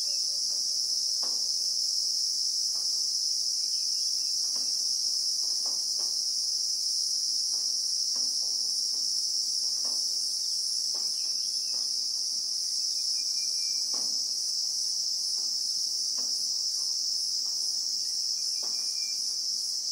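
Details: Bushveld in South Africa with Christmas beetles (Anoplognathus) sounding a constant piercing buzz for the whole stretch, steady in pitch and loudness; scattered quiet clicks and a few thin faint whistles from other creatures punctuate it.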